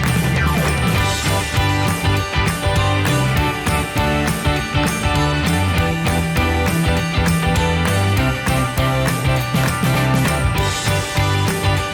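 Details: Upbeat instrumental music with strong bass and guitar plays throughout, with no animal sounds. Bright jingling tones sit over a steady rhythmic beat.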